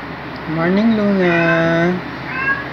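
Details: Black male house cat greeting its owner with a loud, jolly meow on waking up beside them: one long drawn-out meow rising then levelling off, followed by a shorter second meow.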